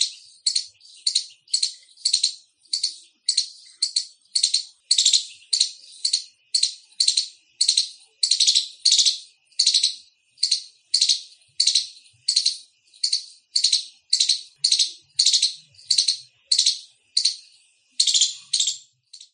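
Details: Long bout of loud Indian squirrel chirps: dozens of harsh, buzzy, high trilled notes repeated about every half second with little variation and near-silent surroundings.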